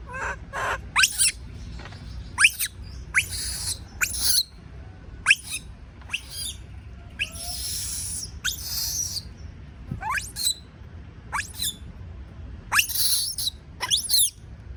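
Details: Afraid of being alone, a baby monkey screams repeatedly: sharp rising squeals and noisy piercing shrieks come every second or so, with brief pauses, over faint low background noise.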